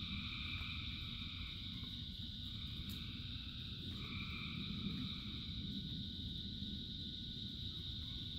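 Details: Thousands of frogs singing through rain: a persistent high trilling drone with fainter mid-pitched calls surfacing intermittently, partly masked by dense, steady rain hiss and rumble.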